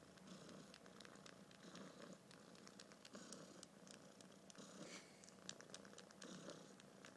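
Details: Kitten held and filmed indoors, purring softly: a low, rough rumble swelling and fading in breath-length waves, with faint clicks and rustles from handling.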